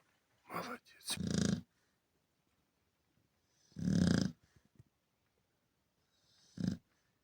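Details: A Chow Chow, settled back to sleep by its owner, snores in low, rasping bursts with long pauses between breaths.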